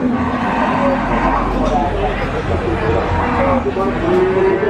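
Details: Cattle calves at Nglangon livestock market in Sragen, Central Java, Indonesia, give drawn-out lowing moos over a steady murmur of crowd chatter and men talking nearby.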